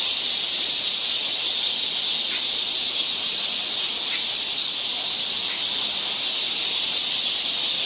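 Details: Summer forest trail in Seoul, Korea: a steady wall of shrill cicada buzzing, unbroken and even in loudness, with a few faint brief chirps barely poking through the drone.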